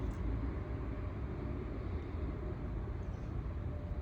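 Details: Steady low rumble of passing road traffic outdoors, with no animal sound heard.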